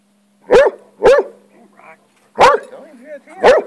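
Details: Hound obsessed with lizards, on the attack while interacting with one; four sharp, short barks in two pairs, with soft whines between them and a low steady hum behind.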